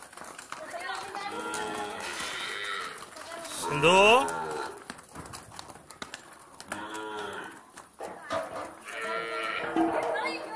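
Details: Jafarabadi buffalo coming back home, giving a series of drawn-out, moaning lowing calls with rich harmonics, one sharply rising call near the middle, several calls overlapping and continuing to the end, with faint background voices.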